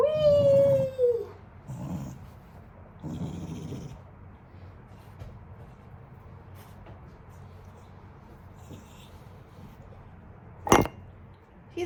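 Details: Wire-haired Dachshund, newly taken from a shelter, grumbling while being bathed: an opening whiny note sliding downward, then two low rumbling grumbles, a long quiet stretch and one sharp clatter near the end.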